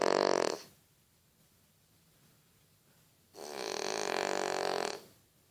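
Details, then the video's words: French Bulldog snoring indoors: a short rasping, rattling snore at the start, then after a quiet pause a longer, steady buzzing snore lasting about a second and a half, each breath rich and harmonic over a hushed room. "Французский бульдог храпит"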